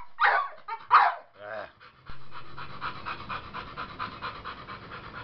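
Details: Male American Bully of the Gottiline, Kid Rock, pants rapidly and evenly after a person speaks briefly at the start; the breathy huffs continue to the end.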